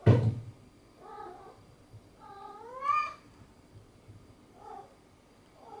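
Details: Domestic cat playing with a sponge cube indoors gives a rising, harmonic meow near the middle, flanked by shorter soft mews before and after, with a thump at the start and quiet room hum.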